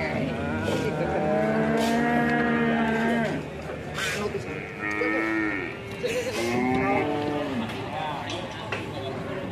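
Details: Big Ongole crossbred bull at a weighing in Prambanan, giving repeated deep, tonal moos, each a few seconds long and gently falling, amid busy crowd talk and a man estimating its weight.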